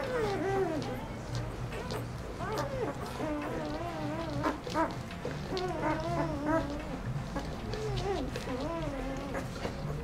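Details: Four-day-old puppies of Aiki, a mother dog groomed with her litter of ten on Mother's Day, 12 May 2013: thin wavering whimpers and squeals that rise and fall, overlapping almost without pause over a steady low hum.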